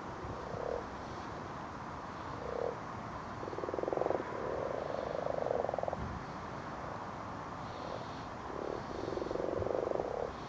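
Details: Common frogs (Rana temporaria) spawning at night by torchlight in a garden pond: low, soft purring croaks in short bursts, some longer grating runs, overlapping from several frogs against a steady hiss.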